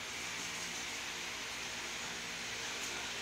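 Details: Steady broadband hiss, like a fan or air conditioner running indoors, with no animal voice heard.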